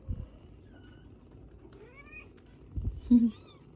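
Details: Newborn British Shorthair kittens nursing beside their mother indoors; two faint bursts of thin, high, rising mews, with rustling and handling noises and a soft low thump.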